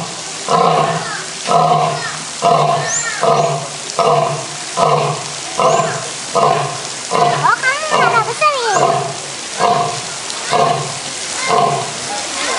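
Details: A skinny old lion gives a steady series of deep, coarse grunting roars, about one per second.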